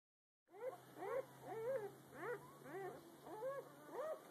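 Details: Newborn puppies from a litter less than a day old, the morning after birth: short arched squeaks and whimpers around seven per four seconds, several pups overlapping, rising then falling in pitch, after a brief silence at the start.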